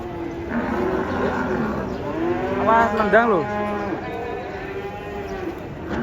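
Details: A bovine being unloaded from a truck moos loudly, one long call that rises and then drops near the middle, with softer lowing around it and a steady low background hum.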